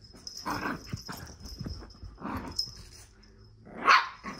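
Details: Shih Tzu dog filmed in May 2023 during a wild afternoon, giving about four short, sharp barks spaced roughly a second or more apart, with a steady high electronic whine running underneath.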